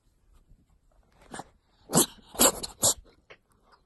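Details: Cat that cannot stop sneezing: a run of sharp, breathy, hissing bursts, three loud ones roughly half a second apart around the middle, with fainter snuffles before and after, in a quiet indoor setting.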